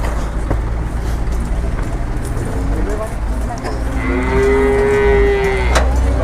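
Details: Cattle unloaded from two arriving trucks in Indonesia, one of them a very large animal. Engine rumble and a voice come first, then a single long, level, drawn-out moo rises out of the noise near the end.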